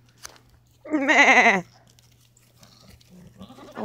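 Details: A single loud, quavering goat bleat lasting under a second, harmonic and wavering, heard among farm goats; faint background noise before and after.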